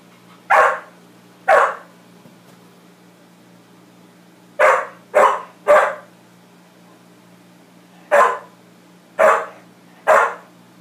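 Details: Dog named Max barks at his reflection in a room, loud abrupt barks in short bursts: two, then three in quick succession, then three more spaced about a second apart, with a quiet constant hum underneath.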